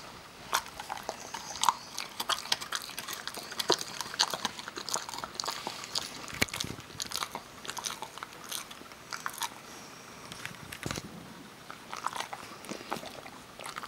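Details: Parker the Kerry Beagle crunching almonds in a small room. Sharp, scattered bites and cracking sounds continue steadily, with slightly quieter moments in the middle and a few louder snaps.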